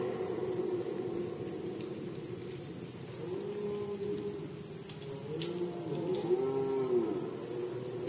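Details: Red deer in Poland during the 2020 rut season: after a few quiet seconds, lower and fainter moaning roars rise and fall in pitch, several overlapping bellows toward the end, with continuous high ticking behind them.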